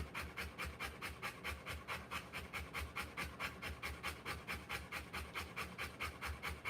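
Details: Panting of a Rottweiler during the live birth of her puppies: even, rhythmic breathy huffs, about sixteen in under seven seconds, each a soft rasping in-out pulse, with nothing else audible.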